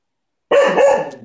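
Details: Coco, a male cocker spaniel, barks while playing with a ball, wanting someone to play. Two loud, rough barks in quick succession, then a fading tail.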